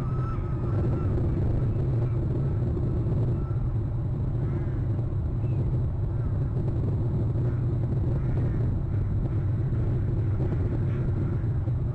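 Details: Steady low rumble of wind or traffic with faint murmuring, and no clear animal call.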